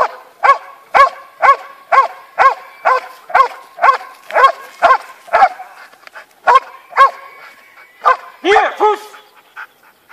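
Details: Steady volley of high, sharp puppy barks from young Belgian Malinois in Romania, repeating about every half second for ten seconds, with a brief pause midway and a louder doubled yelp near the close.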